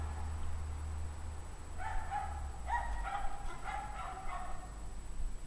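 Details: Several dogs from a pack barking at 5:00 PM on January 9, 2009, in 17-degree Fahrenheit cold; a run of distant, ringing, yelping barks fills the middle seconds above constant low-frequency hum.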